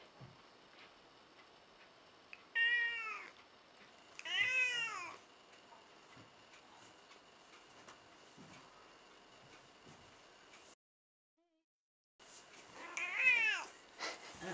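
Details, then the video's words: Elderly domestic cat, around 14 years old and a little cranky, meowing: three loud drawn-out meows with strong harmonics, near 2.6, 4.5 and 13 seconds, separated by quiet room background and a brief silent gap. "Elderly Cat Who Meows a Lot"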